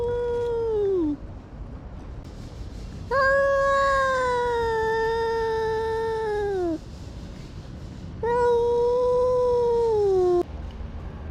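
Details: Domestic cat making a weird, funny call: three drawn-out, tonal meows, the first falling, the second held steadily for over three seconds before dropping, the third sustained and sliding downward, each rich in harmonics with short pauses between.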